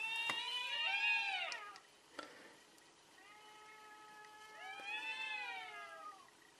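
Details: Cats in a fierce fight trade long, wavering, drawn-out yowls, rising and falling with rich harmonics, two separate howls with a short pause between them.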